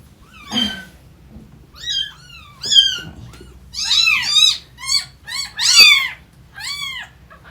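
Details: Indoor cats as a newly rescued kitten first meets older cats and tries to get along with them: a run of about nine high, arching meows with bright harmonics. Some come singly and some in quick pairs, over a quiet low background hum.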